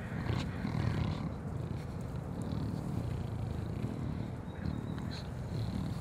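Deep, rough grunting from a collared peccary runs almost without a break, a low purr-like rumble. A few faint higher chirps and rustles sit above it in the background.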